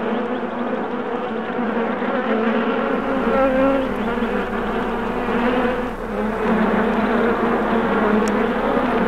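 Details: Bees recorded on July 8, 2016: a dense, steady buzzing drone of many insects. Layered low hums hold through the whole stretch and swell slightly in loudness after the first few seconds.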